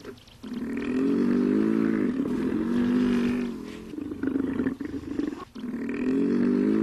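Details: A hippopotamus (Hippopotamus amphibius) gives deep, rich, drawn-out bellowing calls in bursts lasting a second or two.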